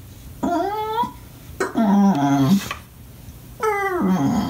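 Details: An English Bulldog crying when not played with gives short rising yelping whines and a deeper grumbling moan, three bursts in quick succession inside a small room.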